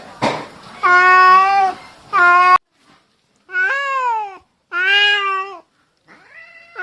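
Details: Domestic cats fighting, with an orange cat doing most of the vocal threatening: a series of five long, harmonic, drawn-out yowls, some wavering and bending in pitch, separated by short silences.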